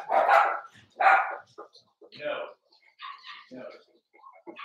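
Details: Indoor pen with Daisy's four-week-old Cavalier King Charles Spaniel puppies: two loud, raspy barks open the sequence, followed by quieter broken yelps and whines that trail off.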